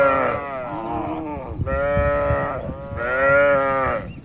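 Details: Cattle grazing loose in a spacious oil palm plantation give three long harmonic moos, each a sustained lowing call with slightly bending pitch, close and loud.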